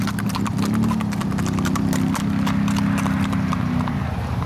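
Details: Tennessee Walking Horses on a 2021 group trail ride in New Boston, northeast Texas: rapid, uneven clip-clop hoofbeats, about four per second, over a steady low droning hum.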